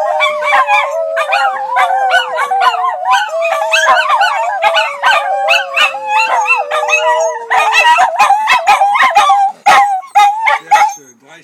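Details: Household Miniature Schnauzers in a howling chorus: a sustained lower howl drifting gradually downward, restarted twice, beneath a tangle of warbling higher howls and clipped yips that continue after the long note ends.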